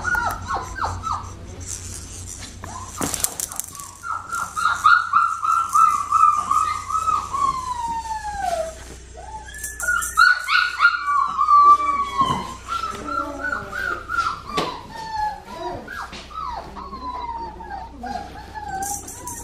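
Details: Female blue merle Australian Shepherd puppy, crying in long trembling whines that slide downward, mixed with short yelps and squeaks, with rustling and clicks of handling throughout.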